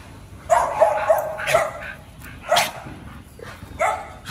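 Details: Oli and Nomy, dogs back home from a dog hotel before a raw-meat welcome meal, give sharp excited yips in quick bursts, four close together, then two more spaced about a second apart, over a quiet room.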